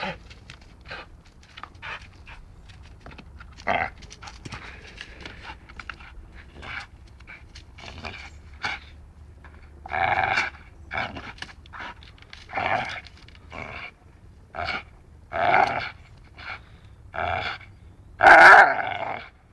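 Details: Dachshund at play, biting, at first breathing in quick soft pants, then breaking into louder gravelly growl bursts every second or so toward the end, the last one sharp and strong.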